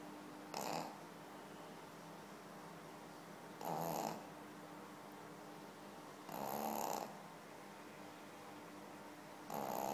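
A Pekingese dog snores in slow, raspy breaths, each lasting about half a second to a second.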